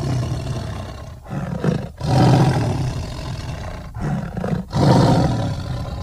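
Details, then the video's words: A tiger's heavy, rasping roars come in two drawn-out waves, each breaking off briefly before the low rumble resumes. "tiger sounds"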